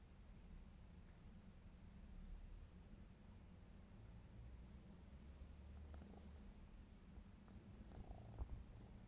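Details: Purring of a black smoke Maine Coon cat, 4½ months old, while playing: a steady, low, continuous rumble with faint light clicks and rustles toward the end.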